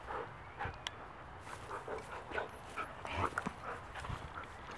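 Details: Play-fighting wolfdogs as Mango, an elderly Great Pyrenees mix aged 12, moves in to stop them: a run of harsh snarls and grumbling growls, irregular and close, with thumping movement beneath.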